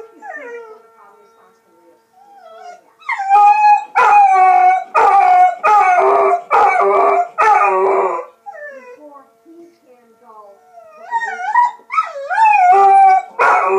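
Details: Dog joins a siren with quiet wavy howls rising into a run of loud, harsh wailing bursts, then softer, smoothly bending howls that swell again near the end; faint voices may be present.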